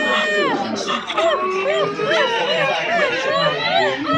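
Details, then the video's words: Silvery gibbon giving short arching whoops about twice a second, each note bending up and down, while people chatter and shout nearby. "The Silver gibbons sound effects"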